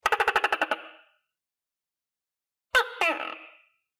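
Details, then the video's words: Tokay gecko in captivity, fed crickets and housed with other geckos: a rapid rattle of about eight clicking pulses, a second of silence, then a harsh two-note croak. "Sound Of Tokay Gecko"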